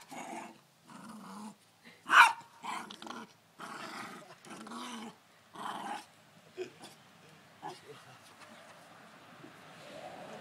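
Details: Angry dog reacting to the pull start of a lawn mower with repeated low throaty growls in separate stretches, one sharp louder yelp-like bark early on, then fading to a quieter rumble.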